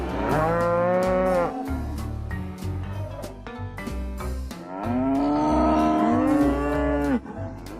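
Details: Two cattle moos: a first one lasting over a second, then a pause filled by background music, then a second, longer moo that rises and holds about two seconds.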